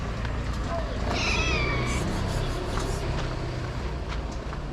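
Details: An orange stray cat fed outside gives one wavering, falling meow early on, then only a low hum of traffic and murmured human speech.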